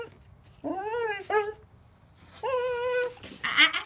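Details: A high-drive dog whines while told to sit and wait for a ball during impulse-control practice indoors: two long, tonal, slightly wavering whines, each with a brief higher break near its end, and a short harsh yelp at the end.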